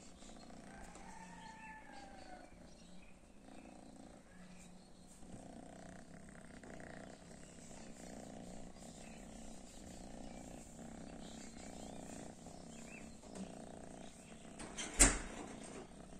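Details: Domestic cats reacting to cat weed; a low, steady purring hum runs throughout, with faint higher tones early on and a sharp click near the end.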